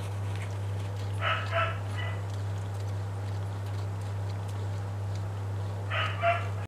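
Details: Suckling Cocker Spaniel puppies give brief, high, nasal squeaks over a steady low electrical hum.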